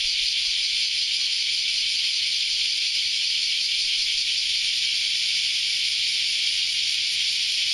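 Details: A dense cicada chorus on an early Saturday morning: a steady, high, hissing buzz that never lets up.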